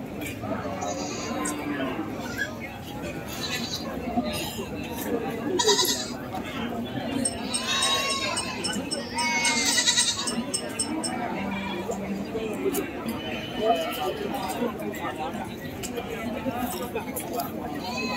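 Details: Market goats bleating in short, quavering bursts scattered through the recording, louder around the middle, over constant human talk and the general bustle of an animal market.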